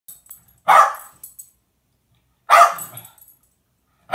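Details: Jack Russell Terrier at home tattling on the naughty cat, giving two sharp, separate barks about two seconds apart in a quiet small room.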